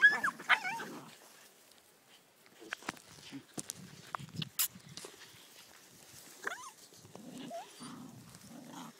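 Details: Whippet pups Betti and Jack, three months old, in play with Ashley, aged four months: wavering high whines at the start and again later, scattered clicks and taps between, and short pulsed low growls at the close.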